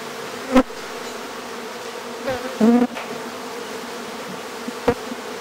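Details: Steady buzzing drone of honey bees from a hive being removed from a house in Aderet, broken by a few sharp knocks and a short tonal squeak from the removal work.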